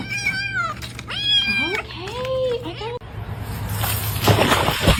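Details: Kittens crying, giving a run of four or five high, harmonic meows in quick succession over about two and a half seconds, some falling and others rising then dipping, followed by a stretch of rough broadband noise.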